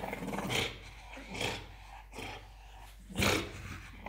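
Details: Muffin, a French Bulldog, wrestling playfully with a toddler of almost three: three short, harsh, breathy growl bursts spaced about a second apart, noisy and gravelly, with a human voice and laughter nearby.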